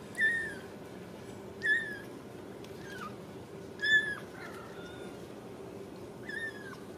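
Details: Ragdoll kitten from a home cattery in central Kansas, apparently on a slick floor for the first time. It gives about five short, high, clear mews spaced a second or two apart, each rising slightly and then dropping at the end.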